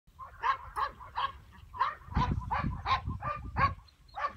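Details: A two-year-old male English Pointer, a started dog of Elhew pedigree lines, barks in a rapid series of about ten sharp, fairly loud barks, roughly one every half second, with low rumbling background noise.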